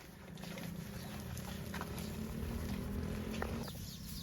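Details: Tame cow roaming village roads toward rice fields, giving a long, steady, low moo held for about three seconds at an even pitch, over rustling outdoor background noise.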